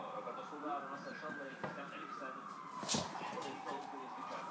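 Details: A female Magyar Vizsla gives a long, wavering whine-howl that rises and bends like a siren, appearing to try to talk back to its owner.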